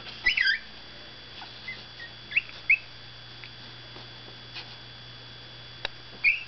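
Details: Seventeen-day-old Miniature Pinscher puppies from Zoe's litter waking up after a nap: thin, high whistled squeaks come in short bursts, a cluster at the start and scattered chirps later, over a steady low electrical hum.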